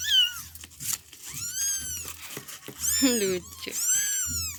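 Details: Kittens, a village cat's young, give a run of high, thin meows, each bending up and then falling away.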